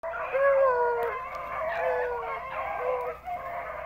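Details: Hunting dogs, a pack of rabbit dogs with pups among them, running rabbits at a hunt club; overlapping drawn-out howling bays in a continuous chorus, several voices at once.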